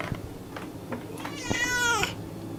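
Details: Cat giving a single arched meow, rising then sliding down, preceded by scattered soft clicks and taps in a quiet room.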